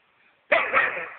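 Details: A Weimaraner lets out one loud, raspy bark that starts abruptly and holds for over half a second, after near silence.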